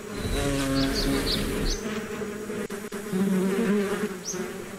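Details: Close bee buzzing, relaxing nature ambience: a low rich drone whose pitch slides and steadies as bees hover nearby, with soft chirping birds in the background.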